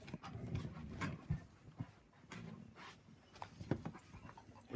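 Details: Dogs Angel and Atticus in a wrestling game with Cody, the puppy talking back in short, low, moaning grumbles, several bursts over a few seconds, mixed with panting, scuffling and a person's voice.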